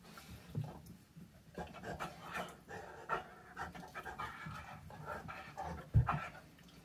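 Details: A 165-pound Great Dane playing with a 3-pound puppy pants in quick, breathy bursts, with soft scuffles and a sudden thump.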